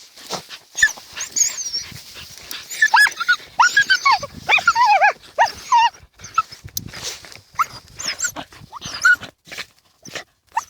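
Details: Two dachshunds, Tasya and Kessi, busy digging in a field in autumn 2015, give a run of excited, high-pitched whining yelps. The notes bend up and down and come in clusters over several seconds, with soft scuffling between them.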